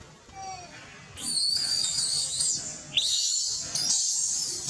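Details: Baby monkey crying for milk while waiting for its mother: long, harsh, high-pitched screams lasting one to two seconds each, three in a row, some starting with a rising whine.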